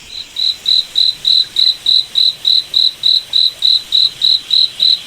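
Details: Cricket chirping at night in a moonlit forest: high, steady pulses repeated about three and a half times per second with an even rhythm over a quiet background.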